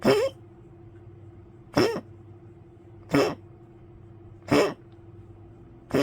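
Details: Old poodle woken by coughing late at night, 1 May 2025, later drinking water on shaky legs: five harsh, explosive coughs roughly every one and a half seconds over a steady low electrical hum indoors.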